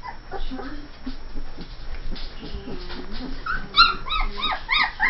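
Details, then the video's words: Young Saint Bernard puppies, 2 1/2 weeks old, from a litter born June 18, 2011: a woman's soft talk comes first, then a run of sharp, bending squeals and yips, repeated several times a second near the end. "Saint Bernard puppies 2 1/2 weeks old"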